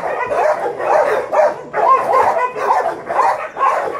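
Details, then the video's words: A group of seven pups cries in repeated waves of high whining yelps, roughly two bursts per second, loud and overlapping throughout. "F pups x7"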